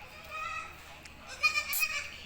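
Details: Goat kids playing mischievously, giving a short nasal bleat with a rich harmonic tone that wavers for about two seconds, with faint voices nearby.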